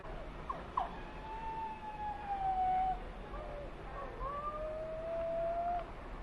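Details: Mexican wolves in a conservation project, a scene of wolves behaving naturally: several long, smooth howls gliding slightly downward, overlapping voices, faint against a steady background hiss.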